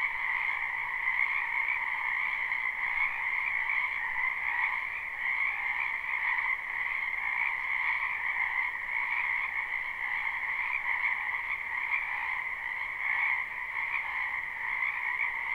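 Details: Live, unlooped recording of many frogs in a wetland during spring, their croaking merging into an unbroken shimmering chorus with two stacked pitch bands that pulse gently in loudness throughout.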